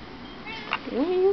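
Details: Domestic cat meowing indoors, seeking attention because no one is paying attention to her: a single rising-then-level meow near the end, preceded by a brief squeak, with a woman talking just before.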